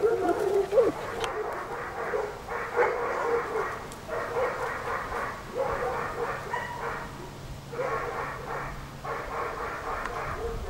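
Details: Young German Shepherd puppies, a litter of six born 27 July 2014 to Iska v.Muikenshof and Eros v.d.Romerau, yapping in bursts: rough, high little barks come in clusters roughly once a second, with a low steady hum beneath.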